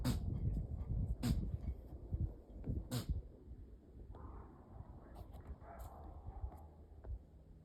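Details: Little deer from a family visiting a Northern Arizona backyard, sneezing repeatedly from a cold: three abrupt, explosive snorts in the first three seconds, then softer rustling and faint sounds.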